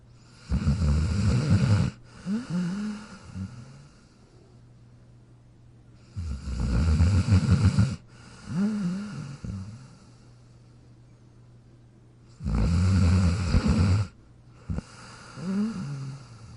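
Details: Jack the dog lies sleeping in his dog bed, producing three loud, gravelly low snores spaced about six seconds apart, each followed by a shorter breathy, slightly squeaky exhale, over a low steady hum.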